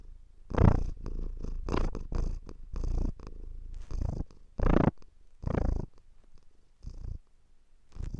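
A domestic cat purrs close up, a low rumbling that swells and fades with each breath.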